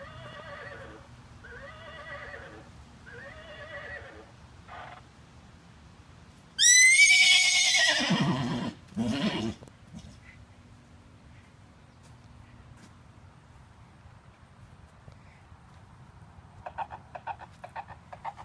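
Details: Miniature Horse stallion, fifteen years old, playing with a toy. Faint wavering calls come first, then a loud, shrill whinny that rises and trembles downward for two seconds, followed by a short rough burst and then quiet.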